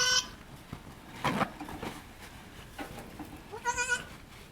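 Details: Goat at Needham Goat Farm during the birth of Halley Berry's triplets, as the second kid arrives. A short bleat opens, then scuffling and rustling follow, and a wavering, quavering bleat comes near the end.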